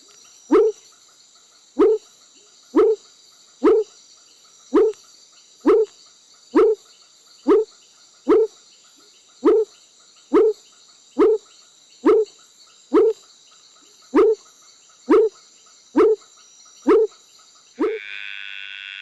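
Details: Frog calling to mate, giving about twenty short, clipped upswept notes at a steady pace of roughly one per second over a continuous high-pitched drone.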